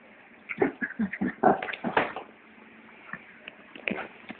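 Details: Two Shih Tzus playing give a quick run of short, rough grunts and growling yips, then a few softer huffs.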